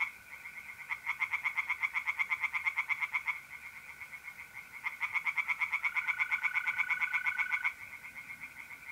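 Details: Tree frogs singing by night in an Italian pond in mid-April: two long runs of quick, even pulsed croaks, each about three seconds, separated by a short pause. Mole crickets trill continuously beneath.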